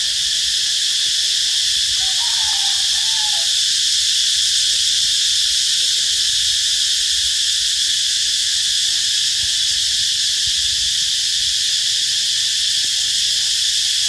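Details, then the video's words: Cicada calling loudly beside the road leading into Bình Hòa B School, 2 March 2023, just before midday: a dense, unbroken high-pitched drone holds steady throughout, with a brief faint whistled note from another animal near the start. "Con Ve Kêu Lớn Tiếng"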